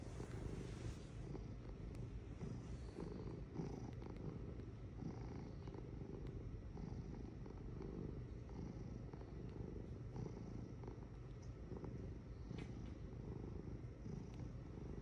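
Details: Domestic cat purring: a steady, low, rumbling drone held throughout, with faint soft clicks and rustles over the top.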